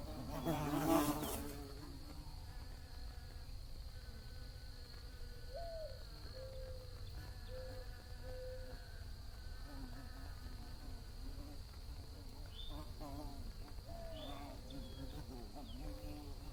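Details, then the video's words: Bee buzzing: a loud, close pass at the start, then softer droning hums that rise and dip as bees move around. A steady high whine and low rumble continue throughout. "Bees Buzzing Sounds"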